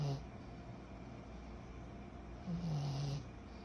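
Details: Sleeping 14-month-old pug puppy Kyro: a quiet stretch of steady room hiss, then a single low, droning snore near the end lasting under a second.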